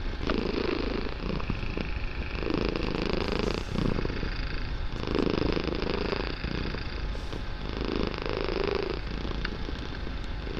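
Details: Loud purring from a young kitten, meant as a soothing relaxation session in a room; continuous low rumble pulsing in breath-like waves about every one and a half seconds.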